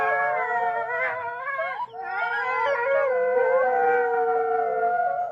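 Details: A pack of gray wolves (Canis lupus) give a chorus howl, several long sliding tones overlapping into one eerie chorus.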